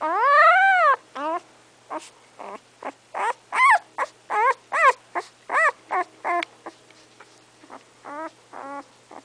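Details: English Setter puppy about three weeks old, eyes not yet open, giving a long rising-falling whine followed by a rapid series of short, high, arching squeaks and mews, roughly two or three per second.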